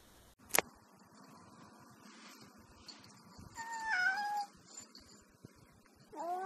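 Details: Cats chatting: a sharp click, then a wavering drawn-out meow around four seconds and a rising meow at the end, in a quiet setting.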